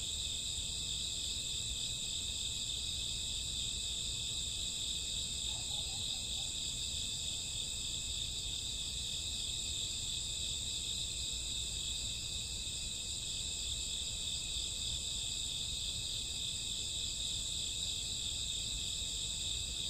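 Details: Crickets on a summer or autumn night at midnight, many calling together in a dense, unbroken high-pitched shimmer of layered trilling bands, steady throughout, over a soft low rumble of background noise.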